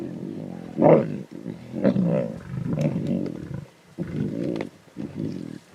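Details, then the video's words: Lion cubs in the Timbavati snarl and growl intensely over a zebra carcass: loud, low, rough growls in uneven bursts, one sharp snarl near the start, then longer rumbling stretches separated by brief pauses. "The Lion Cubs Snarls and Growls Intensely At Zebra Carcass"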